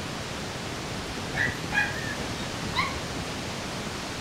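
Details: Female Shih Tzu puppy, white and gold, 29 days old, with a breeder in Kyoto, Japan, on September 13: three short, high squeaky whimpers spread over about a second and a half, heard against a steady loud hiss.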